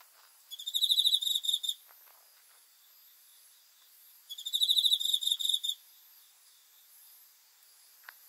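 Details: Cricket chirping at night: two bursts of rapid high pulsed trills, each lasting a little over a second, separated by about three seconds of quiet, with faint ticks between.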